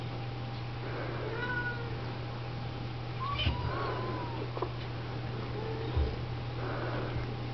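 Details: Oriental, Siamese and Snowshoe kittens being groomed and fed by mother cats indoors; a few soft curved mews, some longer and wavering, spaced about two seconds apart, with a low steady hum and occasional bumps.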